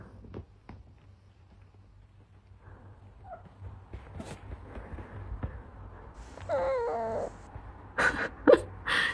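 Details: Two domestic cats fighting, one of them white, indoors: a low background hum gives way to a brief wavering, harmonic yowl past the midpoint, followed by several sharp, loud, noisy bursts near the end.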